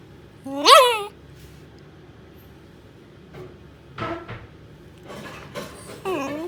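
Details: A Shiba Inu hiding under a bed lets out a loud, quavering, yodel-like whine that swoops up and down, then falls quiet; a few soft knocks follow before a second, briefer wavering cry.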